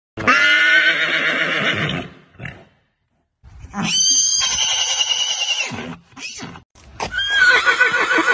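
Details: Horse neighing in three loud, shrill whinnies, each quivering and rich in overtones; the first lasts about two seconds, the second about two and a half, and a shorter third closes the clip, with brief quiet gaps between.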